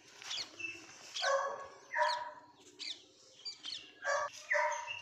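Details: Female Labrador Retriever puppy lets out short, high, whining yelps with a bright ringing tone, about one every half second to second, mixed with faint chirping birds in the background.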